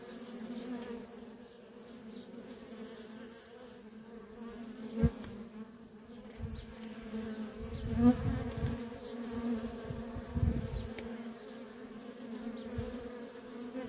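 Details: Busy worker honey bees at a feral colony produce a continuous low buzzing drone with a higher overtone. Low rumbling swells near eight and ten seconds, a few sharp clicks, and faint high chirps sound early on.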